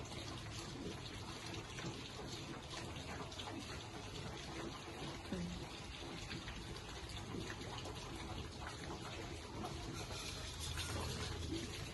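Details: Running water splashing steadily with faint murmured speech in the background, no animal voice heard.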